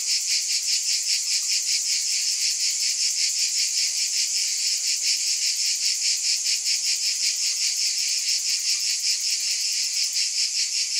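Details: Cicadas in a dense, unbroken high buzz that pulses steadily about two and a half times a second, with no other sounds.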